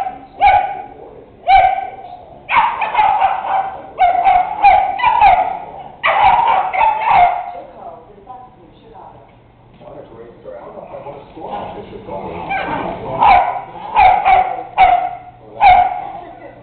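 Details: Bedlington and Wheaton dogs playing rough together, giving repeated yipping barks in quick clusters and whiny vocal tones, a quieter stretch in the middle, with a steady low hum in the background.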